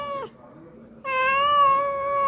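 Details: A visiting cat that came to eat at Ruby and Kulkuli's home meows twice, a short falling meow and then a long, steady, drawn-out one after a pause, with a woman's voice faint in between.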